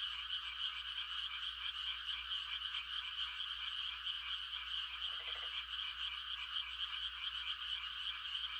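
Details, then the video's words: Countryside frog chorus at night, calling to mate: a thick, continuous shimmering trill from many frogs, one brief low rattling croak midway, and a faint low hum underneath. "The sound of frogs on a quiet country night"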